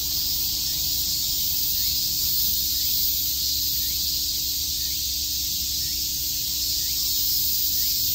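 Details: Cicadas chirping on a summer day at Shakujii Park in Tokyo: a dense, unbroken high-pitched hiss-like drone that holds steady throughout, with a faint constant low hum and soft low-pitched rumble beneath.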